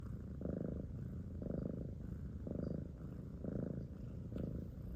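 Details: Domestic cat purring: a low rumbling drone in steady pulses, each breath-phase lasting about half a second, roughly once a second, with a brief click near the end.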